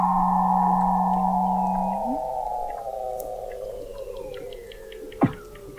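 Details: Weddell seal vocalizing beneath thick sea ice in McMurdo Sound, Antarctica, recorded November 2017 at an undersea observatory 21 m deep: a long slowly falling tonal moan over a steady low drone that ends in an upward flick, then a sharp click.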